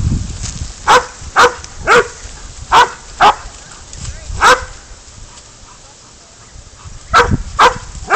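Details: Spud, a pig dog, baying up a goat during a catch-and-release hunt: loud sharp barks in quick bursts of two or three, separated by short pauses, then a quiet stretch before a final volley of barks.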